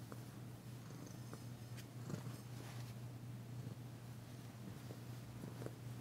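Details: Massaged indoors, the tentative female cat Danci keeps up a quiet, even purr, the first heard from her since she arrived. It is a low rumbling hum with scattered faint taps and rustling.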